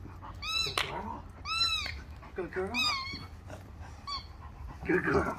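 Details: Female Rottweiler puppy working on obedience training for food and a toy; four high, arching whining yelps with rich overtones over about five seconds, interspersed with a man's voice and shuffling indoor noise.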